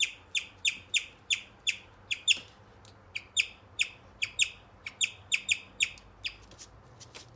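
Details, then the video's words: A male guinea pig chirps in a steady, bird-like series of high, sharp notes. "Guinea pigs chirping sounds"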